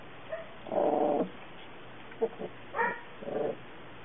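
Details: Puppy giving short whining, yelping calls, one drawn-out tone followed by several brief broken whimpers with pauses between.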